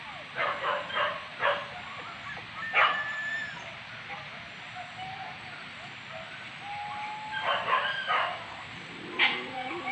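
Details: Dogs barking on a wild boar hunt near Sicincin, Padang Pariaman, Indonesia; quick runs of three or four yelping barks, a lone sharp bark, then a quiet stretch before another burst of excited barking and a final yelp.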